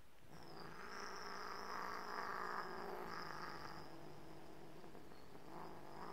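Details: Pet cat described as tiger-like gives a sustained, rough, moaning yowl with a steady low buzz underneath, swelling and fading over about six seconds, with a faint high electrical whine in the background.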